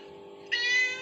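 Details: Kitten and mother cat calls from a phone; a single meow starts abruptly midway and is held, bright and tonal, against a constant electronic hum.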